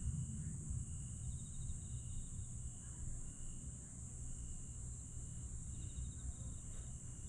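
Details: Night chorus of grass insects at Aewol on Jeju, 22 July 2022. A steady piercing high drone with short repeated trill bursts rides over a strong deep rumbling background.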